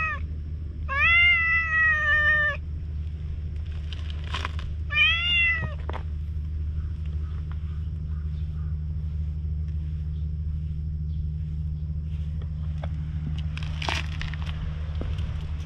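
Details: Stray cat, wary of people, on a road toward the sea, captured with a GoPro HERO8: a short meow, then a long drawn-out meow, then a shorter one, with a constant low rumble beneath.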